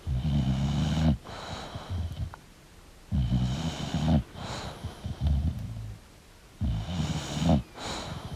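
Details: Snoring from a sleeping English bulldog, coarse rattling breaths about every three seconds with softer wheezy, snuffling exhales in between.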